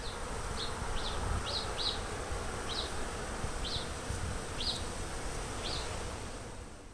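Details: In February 2011, Western honey bees on garden blossoms along the Fresno County Blossom Trail hum in a steady, low drone while a small bird chirps repeatedly overhead.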